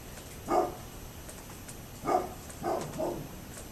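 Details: A neighbour's dog barking, recorded 27 October 2011: four short, harsh barks, one alone near the start, then a single bark and a quick close pair about a second apart, over a steady low background hiss.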